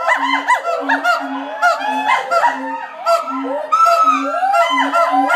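Gibbons call in loud, overlapping whoops with rising and falling swoops, over a low, steady pulsing hum.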